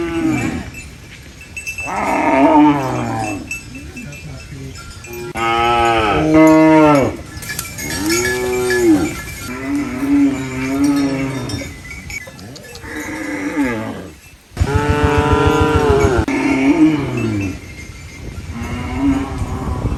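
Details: Mooing farm cow eating banana leaves: a series of about eight deep, bending moos, each roughly a second long with brief pauses between, some rising then dropping in pitch, amid rustling leaves.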